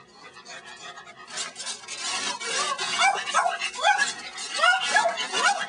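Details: Pet dog named Tilly, a female, trying to catch a praying mantis she found; high whiny yelps and whimpers that rise and fall, repeating over a few seconds, growing louder toward the end.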